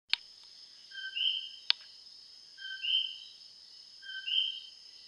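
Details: Common coqui frogs call loudly at about 2 a.m., a clear two-note 'co-qui', a low note jumping to a higher whistle, repeated steadily.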